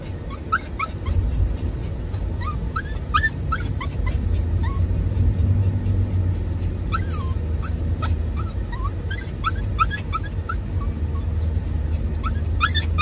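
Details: Excited Dachshund–Toy Poodle mix in a moving car, courting and chasing the father ahead: constant high, upward-sliding whimpers and yips, roughly three or four a second, irregular, above a loud continuous road and engine drone.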